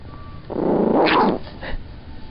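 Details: A single throaty growl from Olive the Chihuahua, who hates being lifted while she is trying to sleep. The growl swells for almost a second, then tails off into a brief softer rumble over a low background hum.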